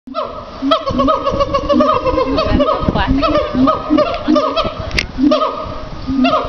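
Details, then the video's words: A siamang at Riverbanks Zoo, Columbia, South Carolina, gives a rapid series of loud, hoarse barks, strong and repeated without pause. "Barking Siamang"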